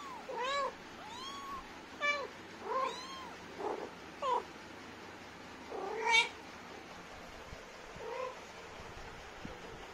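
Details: Talkative mama cat Lilly, an Indian street cat, with her kittens: many short arched meows and high, squeaky mews tumbling over one another, one sharper rising cry near the middle, then quieter calls.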